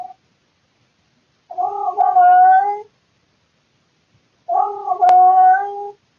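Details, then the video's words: Indoor male cat calling at night from boredom, recorded on a surveillance camera: two sustained, nasal yowls about three seconds apart, each starting with a wobble and holding steady, with one sharp click during the second. "Cat makes weird sounds in the middle of the night"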